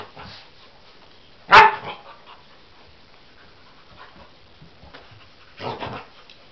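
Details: Cocker Spaniel Husky mix dog meeting a toy animal for the first time and seemingly taking it for real: a single loud, sharp bark, then quiet, then a softer, rougher bark about four seconds later.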